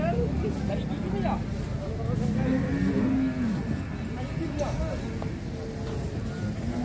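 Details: Cattle brought for Qurban, unloading from a truck at a market, some raging; a long low moo rising then falling, partly masked by crowd noise and vehicle rumble.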